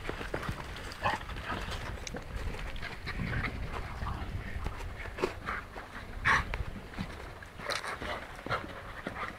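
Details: Kuvasz dog panting in quick, breathy rasping bursts with irregular spacing, broken by a few sharper clicks and knocks over a low background rumble.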